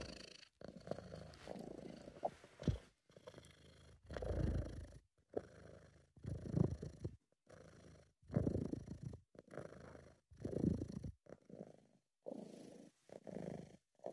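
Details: A British Shorthair cat purrs in a deep, rumbling rhythm, each burst following the next breath.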